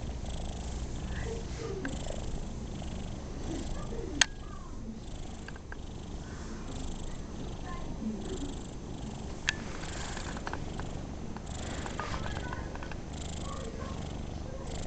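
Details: Rocco the cat purring while enjoying a pat during a rare quiet moment; a steady low rumble runs throughout, with a couple of sharp clicks and faint room sounds.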